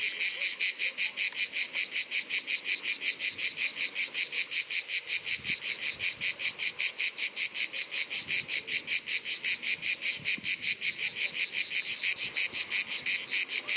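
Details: Provençal Orni cicada singing with loud, dry, rasping pulses repeated steadily about three times a second. The pulses stay even and unbroken for the whole stretch, with faint low background noise underneath.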